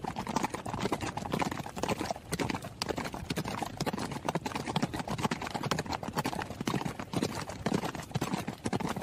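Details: Horse running, its hooves making dense, overlapping clatters at about two beats a second. The strikes blur into a near-continuous drumming over nine seconds.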